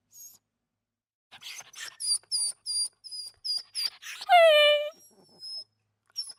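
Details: Small dog whimpering in a series: short, thin, high-pitched whines in quick succession, then one longer whine that slides downward, and a few faint whines trailing off in a quiet room.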